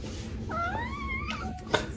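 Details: A domestic cat indoors gives one drawn-out, wavering meow of under a second that rises gently and then sags, followed by a sharp knock, over a low steady room hum.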